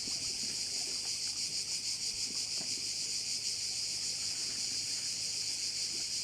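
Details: Crickets at one of the bays of Korčula: a dense, steady, high-pitched buzzing chorus with fine rapid pulsing that never breaks, over faint low background rumble.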